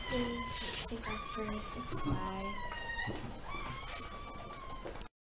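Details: Newborn puppies from Zoe's litter of ten, six female and four male, during the birth: thin, high, steady-toned squeals recurring through the clip, sometimes overlapping, with people talking close by throughout.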